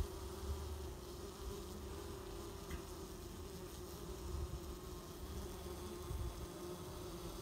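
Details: Mandaçaia stingless bees (Melipona quadrifasciata quadrifasciata, Chocolate) at their hive box, gripping and expelling an intruder Mandaçaia, possibly from another swarm or come to rob: steady low droning hum with faint flickering buzz, fairly quiet throughout.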